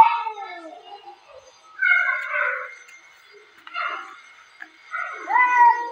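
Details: Two domestic cats fighting at home, yowling and wailing in drawn-out, wavering harmonic cries.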